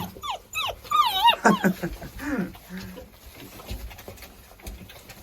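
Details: German shorthaired pointer puppies born on 15 January 2022 give high, wavering whimpers and squeals that rise and fall in quick bursts, then trail off into softer low whines as a person talks nearby.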